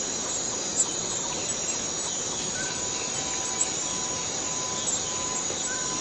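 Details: Borneo rainforest cicada giving a continuous shrill, buzzing drone that does not let up, with faint short tonal notes from other insects or birds beneath.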